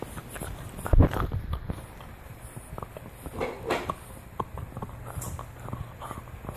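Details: A French Bulldog chews a deer antler indoors, giving a loud thudding crunch early on, then softer irregular clicking gnaws and scrapes.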